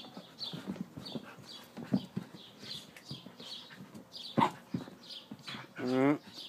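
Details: Siberian Husky at play, letting out one short, loud, harmonic whining cry near the end after soft scuffling and grunting noises, with small birds chirping repeatedly in the background and faint human voices.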